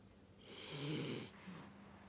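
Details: Chibi, a rescue dog, snoring while asleep: one long rasping, breathy snore swelling over about a second, then a shorter, softer breath after a brief pause.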